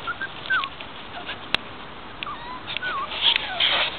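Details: Five-week-old Guardian and Skye litter puppies in a front-yard pen on a mild afternoon give thin, wavering whimpers and short yips, scattered over steady outdoor background noise with a sharp click.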